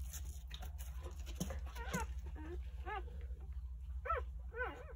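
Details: Jindo mother Sarang nursing her nine three-day-old puppies at home; a few short, arched, squeaky whimpers rise and fall in the second half over a steady low hum.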